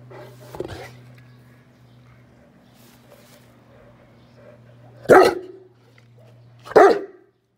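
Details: Saint Bernard dog, offered a 1.8 kg buffalo heart as a treat, gives one faint bark and then two loud, deep, separate barks about a second and a half apart over a steady low mechanical hum.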